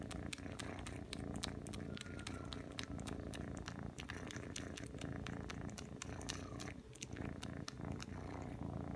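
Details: Three-month-old Ragdoll kitten named Aki kneading and sucking indoors: an unbroken deep purr runs throughout, overlaid by frequent sharp smacking clicks from the suckling.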